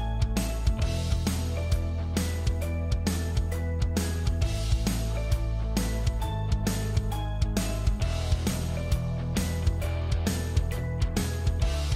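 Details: Rhythmic instrumental music with steady beats and guitar, with no animal sound heard.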